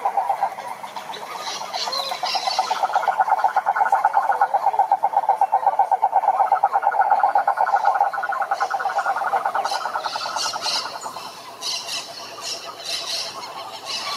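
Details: Toads trilling, a dense run of rapid even pulses for about eight seconds, then overlapping fainter trills and a softer second caller continuing behind, with some higher rasping notes mixed in.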